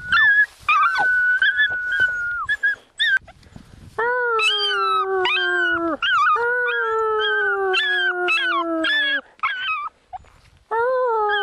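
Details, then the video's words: Small pet dog howling in response to its owner's whistling: a short steady whistle is followed by long, wavering, harmonic-rich howls that slide slightly downward, held several seconds each and separated by brief breaks. "Cute dog making cute sounds when his owner whistles"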